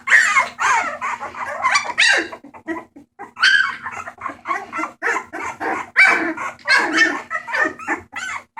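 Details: A litter of rescue bulldog puppies up for adoption, 28 March 2014, squealing and yipping together in overlapping bursts with a few brief pauses, some cries bending upward in pitch, a constant low hum underneath.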